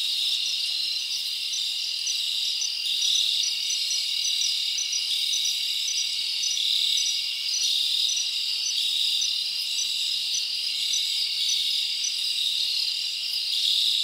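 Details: Crickets chirping on a summer night in the forest, a dense high-pitched chorus with a regular series of short pulsed chirps ticking along above a constant shimmering drone.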